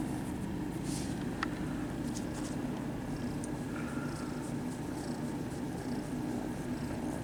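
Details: Kittens at a cat cafe purring while being petted: a steady low continuous rumble with faint soft rustling and handling noise above.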